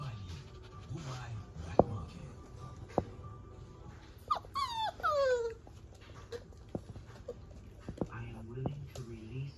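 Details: Fox red Labrador Retriever puppies, four weeks old, giving high descending whimpers and squeaky yelps, one drawn-out whine in the middle and shorter whines near the end, over background chatter and faint music.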